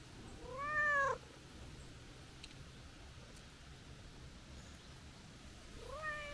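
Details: Stray calico cat crying out when someone starts to leave: one clear, drawn-out meow near the start, then quiet hum, and the beginning of another rising meow at the very end.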